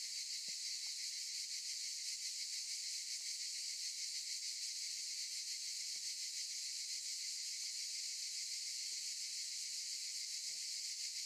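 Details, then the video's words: Cicadas singing in olive trees: a steady, dense, hissing buzz high in pitch, unbroken throughout with faint pulsing, a few soft low knocks beneath. "Sound of cicadas"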